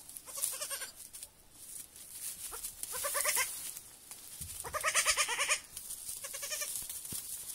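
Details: Young goat kids on their first evening at a petting farm, giving wavering, quavering bleats in several bursts, some overlapping, with a steady hiss in the background.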